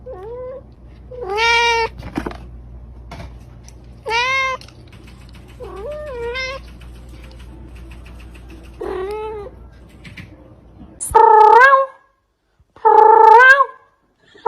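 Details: Domestic cat meowing repeatedly, short whiny upward-bending mews every couple of seconds, the last few louder and more strained, with faint tapping sounds between calls.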